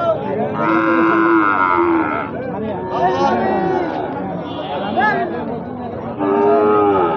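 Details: Gir and Sahiwal bull calves at Ambari cattle market in Bangladesh; a drawn-out, harmonic bawl from about one to two seconds, a shorter moo near three seconds and another at the end, over steady crowd chatter.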